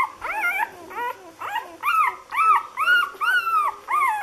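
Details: Lagotto Romagnolo puppies of the A litter in Hamburg, six days old, giving rapid high whimpering squeals, each arching upward then falling, about two per second in a steady series.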